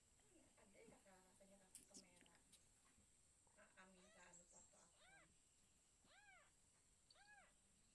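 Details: Newborn kittens of a village cat that has just given birth, indoors: after several seconds of human talking, three high, arched, thin mews come one about every second, each rising then falling.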